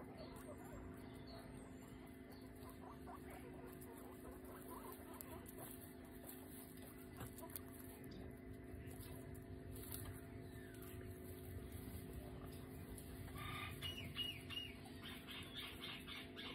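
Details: Guinea pig named Coco during nail clipping: soft rustling and patter for most of the stretch, then a bright cluster of sharp, stacked squeaks near the end, with a constant low hum underneath.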